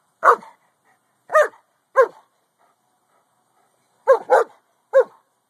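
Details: A Boston Terrier that dislikes the neighbouring Corgi barks while spying next door, phone-recorded: six short, sharp single barks in two loose groups with a silent gap between.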